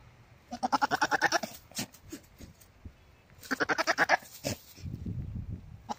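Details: Domestic goat giving a mating call: two bursts of rapid, pulsed, stuttering bleats about a second long each, separated by a pause, with rustling and low shuffling noise between them.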